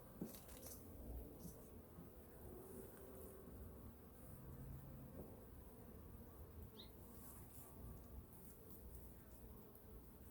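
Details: Honey bees in hive #2 during a winter colony inspection, as food reserves are checked and the bees fed; a soft, continuous low hum with faint steady tonal bands, broken by a few light knocks and rustles.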